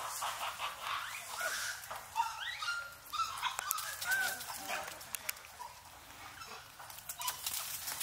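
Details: Wild Japanese macaques at Awaji Island Monkey Center, Sumoto, Hyogo, Japan, troop returning just before 3 pm: thin tonal coos, some rising and falling, scattered through a noisy background of rustling and other monkey voices.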